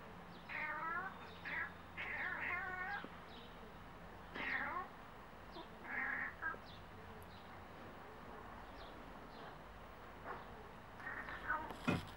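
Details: A cat calling at birds with wavering, trilled meows and chirps in short bouts, pausing between groups, then a few softer chirps and a sharp knock at the end; faint low hum throughout.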